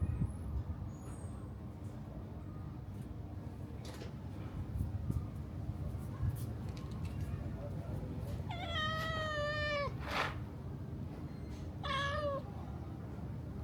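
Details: Pregnant domestic cats asking for food: a long, wavering harmonic meow lasting over a second, then a shorter meow two seconds later, above a steady low rumble of background engine noise.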